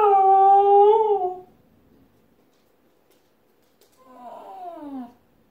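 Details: Husky answering a car alarm with a steady, held howl that drops slightly before fading, then after two seconds of quiet a softer howl that glides steadily downward.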